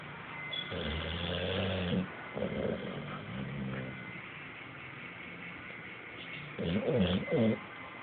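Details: Bulldog asleep on a couch, snoring in rough, rattling breaths: a long grating snore, a shorter one, a quieter pause, then two more raspy snores near the end, over a steady faint hum.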